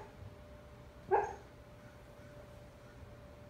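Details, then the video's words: Husky named Bandit, a foster dog, dreaming while asleep indoors; one short muffled bark-like yelp with a clear harmonic stack, otherwise a quiet room with steady low hum. "Husky talking in his sleep"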